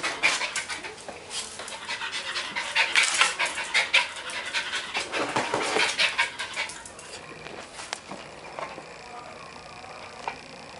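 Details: At the doctor's, albino Silky Terrier Bella pants rapidly and steadily, quick breathy puffs repeating more than twice a second, fading toward the end, with soft human voices in the background.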